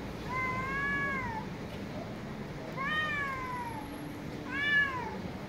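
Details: Street cats meowing loudly, three separate meows spaced roughly two seconds apart, each rising briefly then falling in pitch, heard over steady low outdoor noise.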